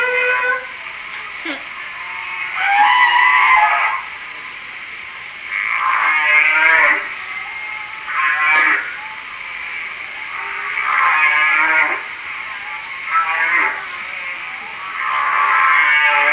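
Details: Humpback whale song recorded in Hawaii: moaning, wavering harmonic units repeated in phrases every two to three seconds.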